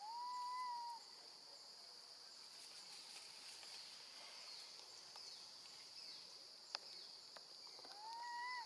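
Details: Baby monkey left alone with her grandmother, screaming for her mother: a clear, tonal wail that rises slightly and then falls, repeated at the start and again near the end, over a steady high insect drone and faint clicks.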